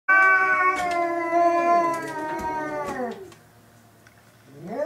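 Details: Two domestic cats, Hokuro and a black-and-white cat, in their third fight: long drawn-out wailing yowls with rich harmonics, held steady then sliding downward over about three seconds, followed by a quieter pause and a rising wail.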